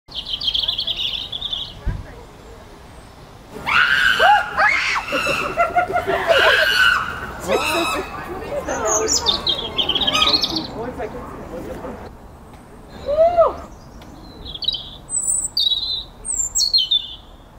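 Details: Young female chimpanzee Stevie screams after being stung in a surprise wasp attack while somersaulting on high ropes on chimp island at Chester Zoo; loud harsh cries and rising shrieks, followed by quieter calls and bright chirping birds.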